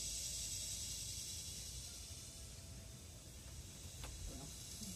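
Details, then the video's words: Philippine cicada (kuliglig) from the forest: a high, sizzling buzz strongest at the start then easing, over a steady low rumble and a single sharp click near the end. "Philippine Cicada ( kuliglig )"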